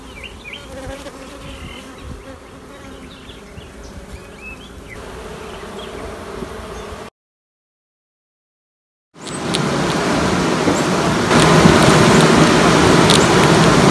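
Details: Honey bees in a queenless colony raising new queens hum as a low, even buzz for about seven seconds, with scattered bird chirps above. A silent gap follows, then loud broad rushing noise covers the rest.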